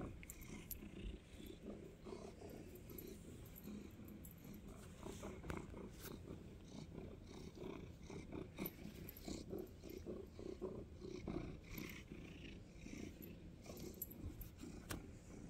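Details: A snuggling cat's steady, low purr vibrates on and on with rhythmic pulses, recorded close in a quiet indoor room with light rustling and a few clicks.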